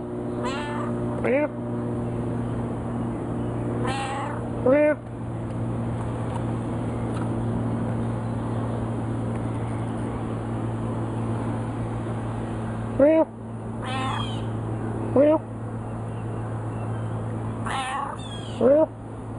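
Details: Frisky, a chatty house cat, in a back-and-forth conversation with its owner: several bright, arching meows in clusters, some doubled, with a person's voice between them and a constant low hum underneath.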